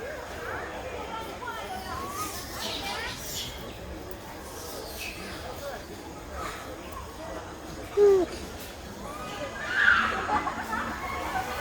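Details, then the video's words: Baby monkey crying loudly beside its brother after losing its mother: a short falling mid-pitched wail around eight seconds, then higher wavering cries near ten seconds, over a steady background murmur resembling voices. "Pity Baby Monkey crying loudly vs brother to find mom"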